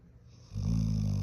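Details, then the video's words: Large Golden Retriever snoring while pretending to sleep; a single deep, rumbling snore begins about halfway through and holds steady to the end. "코골면서 안자는척ㅠㅠ"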